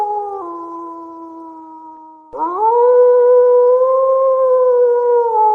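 A wolf gives two long, steady howls, the second swooping up sharply before holding a full, level tone.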